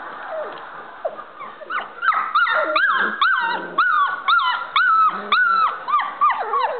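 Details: Standard Poodle puppies at play, learning to bark: a run of sharp, high yipping barks, each falling in pitch, repeated roughly twice per second, with softer whimpers between.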